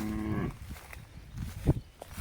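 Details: Bullock from a pair of farmers' working bullocks offered for sale, said to be excellent for work; a short, low moo with stacked harmonics lasting about half a second, then quieter rustling and clatter.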